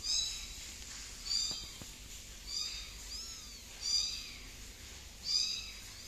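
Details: Tiny kitten named Tiger crawling on a couch one morning, giving thin high-pitched mews, five short calls spaced roughly every one to one and a half seconds, some with a rising-falling arch, over a quiet indoor background.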